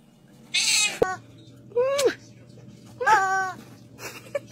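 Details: Kitten meowing three times, each call a harmonic, arching mew roughly a second apart, with a sharp click before the second and a breathy hiss-like burst at the start; faint low hum underneath and soft music in the background.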